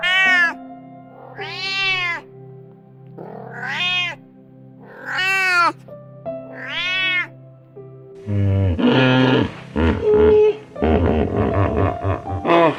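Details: Cat meowing repeatedly: five clear, tonal meows, each swelling up and dropping away, about every one and a half seconds, followed by louder overlapping meows and mixed animal noise over soft background music.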